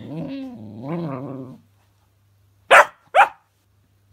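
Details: Cookie, a female puppy too scared to grab a fidget spinner toy, gives two wavering rumbling growls. A silence follows, then three abrupt loud barks.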